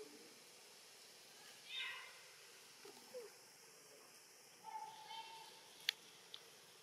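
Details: Orphaned baby macaque Brandi, hungry and following a big monkey to forage, makes a brief falling squeak, then a longer steady mid-pitched coo, with soft clicks and light background noise around them.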